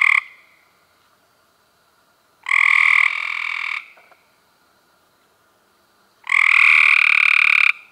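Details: Cope's gray treefrogs in May 2016 giving loud, coarse, buzzing trills up close. Two long bursts of over a second each sound about four seconds apart, the first ending in a softer tail.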